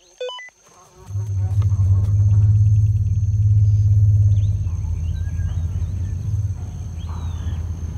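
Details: A young male African elephant turns toward a hidden loudspeaker playing an unfamiliar female's call and answers with a deep, steady rumble, low and droning, holding for several seconds before easing off; this strong vocal response suggests a preference for her.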